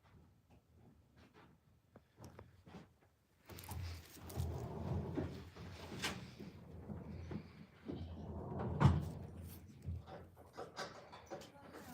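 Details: Indoor room noises: cupboard doors and drawers knock and slide, with a sharp slam near nine seconds and faint murmuring underneath.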